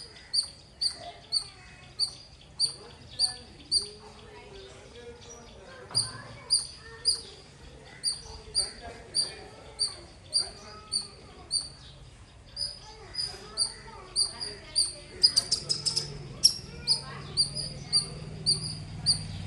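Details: Loud squirrel chirping: sharp, high, clicky chirps repeated steadily about every half second, fairly loud throughout, with a brief burst of quicker chirps near the end and faint low murmuring underneath.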